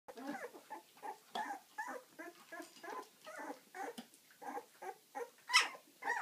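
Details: Ziva's puppies at eleven days old, moving around actively, give a steady run of short squeaky whimpers and grunts, several overlapping, with one sharp high yelp near the end.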